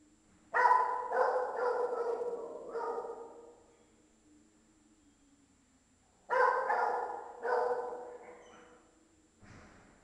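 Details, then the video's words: A dog barks inside a large building, giving two bursts of rapid, harsh barks, each trailing off in a long, booming echo. "SFX - Dog Barking (Inside Large Building) 001"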